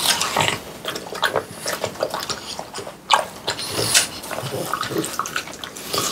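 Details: Watermelon feast for French Bulldogs Pang, Kun and Ppo on a hot summer day, recorded close-up: sharp wet chomps and slobbery smacks, with a louder crunching bite near the middle, amid steady juicy mouth noises.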